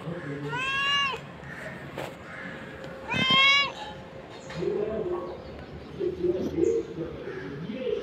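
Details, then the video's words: Hungry black cat meowing: two clear, drawn-out meows about two seconds apart, each rising then falling, followed by low murmuring background sounds. "Black cute cat meowing"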